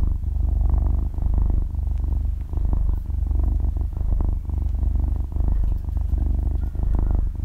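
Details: Young kitten, about six months old, purring in its sleep, captured very close with no background music: a dense vibrating rumble pulsing in quick, uneven breath cycles, nothing else audible.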